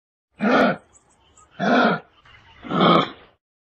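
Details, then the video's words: Kangaroo giving three harsh, rasping grunts about one second apart, each a short broadband burst with a buzzy low edge, separated by quiet gaps. "KANGAROO SOUND and NOISE"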